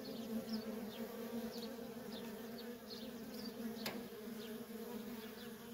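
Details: Honey bee workers in nonstop traffic at a feral colony: a steady droning hum with strong bands near 230 and 500, overlaid by brief rising and falling buzzes of individual bees flying past, plus one sharp click near four seconds.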